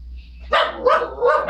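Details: Pet dog barking at the mailman while two other dogs stay calm; three loud, harsh barks in quick succession after a quiet hum.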